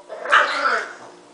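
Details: A single rough, breathy bark from Marshall, a pet dog, lasting under half a second, as his owner asks whether he is mad at mommy.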